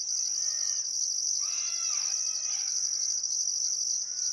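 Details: Sunset crickets by the Barcoo River in Welford National Park, Queensland Outback, on a still summer afternoon: unbroken shrill drone plus a higher pulsed layer, with soft bird calls rising midway.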